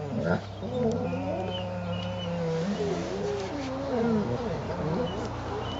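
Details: Great Dane puppy, eleven months old, pestering two other dogs while another dog watches; long wavering whines and groaning vocalisations that slide up and down in pitch, continuous over several seconds, with a steady low hum beneath.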